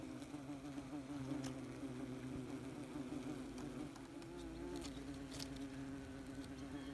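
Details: Wasps swarming busily around their nest, recorded as close as possible: an unbroken droning hum, with one wasp's wavering whine rising above it near the end and faint clicks scattered through.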